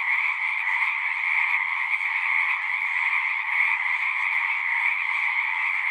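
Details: Singing frogs crowd a pond in a horse pasture, recorded with a Zoom device; continuous pulsing trills of many animals at once, steady in pitch and loudness from start to end.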